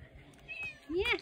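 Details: Domestic cat met in the Swiss Alps, a short clear rising-then-falling meow after a person calls to it, a faint whistle-like tone beforehand, person speaking German nearby.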